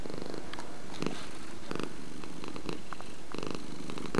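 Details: Domestic cat purring at close range: a deep vibrating rumble that pulses in short swells, about two per second, in a quiet setting.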